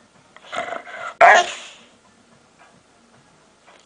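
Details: A pet dog making weird noises: a brief harmonic, whiny sound lasting about half a second, then one sharp, loud bark-like burst that fades, followed by near silence.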